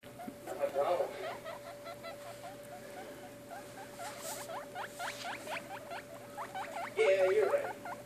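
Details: Baby guinea pigs giving rapid runs of short, rising squeaks, several per second, growing louder near the end, over a faint steady hum.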